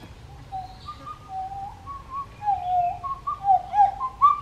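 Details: Pileated gibbon family, one voice sending out soft whistled notes that alternate between two pitches, then swell into louder, swooping rising and falling phrases toward the end over a quiet background.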